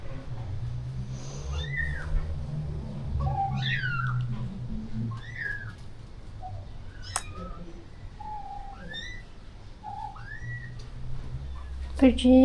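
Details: Rescue cats and kittens at a shelter during feeding of a colony of over thirty strays; a series of short, arched, high mews repeats roughly every second or two over a low background hum, with a brief rustle at the end.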